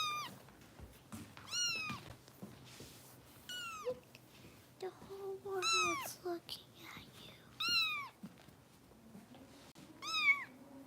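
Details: Bottle-fed foster kitten, Harper, at a Los Angeles rescue, meows again and again: shrill, bent cries about every one to two seconds, six or more in all, with soft human murmuring and faint household noise behind.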